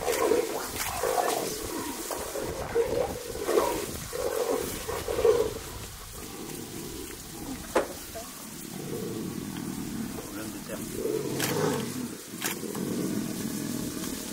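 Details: Male and female jaguars fighting as foreplay, wild in the Pantanal; a quick series of harsh snarls in the first five seconds, then a longer low rumbling growl with scattered knocks and background hiss.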